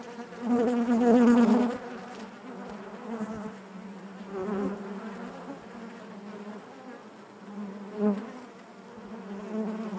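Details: Inside a beehive, honey bees make a continuous droning buzz. A loud close bee flies past in the first two seconds, then the hum settles, with softer swells near four and eight seconds.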